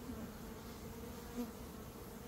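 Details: Swarming honey bees in early May, after a dearth, as a beekeeper catches a swarm: a steady, low droning hum holds evenly throughout, with one soft louder pulse midway.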